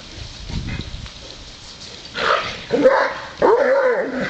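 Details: Great Dane and Wheaten Terrier playing at a water sprinkler on a hot day; three sharp barks near the end, the last drawn out and wavering, after a quiet stretch of low rustling.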